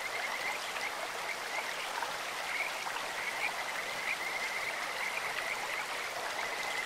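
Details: Brief, high, whistled chirps of Kajika frogs break through loud rushing water of a clear stream at irregular intervals, the stream noise dominating.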